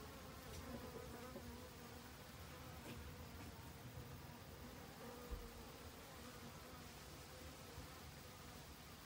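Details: Honey bees in autumn, busily foraging for food to last the winter; a steady low droning buzz of wings runs throughout, with faint scattered clicks and no other clear sounds.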